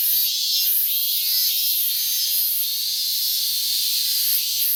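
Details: Minmin cicada heard on 12 August 2019, calling well since morning; an unbroken, piercing buzz that swells and eases roughly every second.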